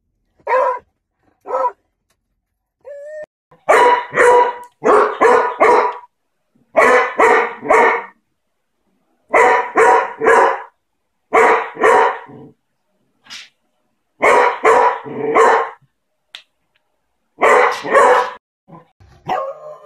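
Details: Aggressive, loud, annoying Beagle barking: rapid bursts of two to four harsh barks in quick succession, repeated every second or two with brief pauses, strong and clear throughout.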